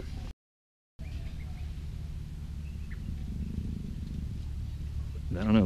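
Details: Luna, a captive female black African leopard in her first estrus at the Cheetah Experience big cat breeding center, gives a low, rumbling growl, broad and steady for a couple of seconds under a quiet background, with brief voices nearby.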